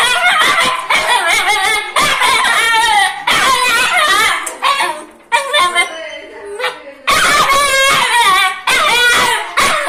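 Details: Angry dog barking rapidly and continuously, high-pitched harmonic barks and yaps in dense clusters, with a brief lull in the middle before the barking resumes loudly.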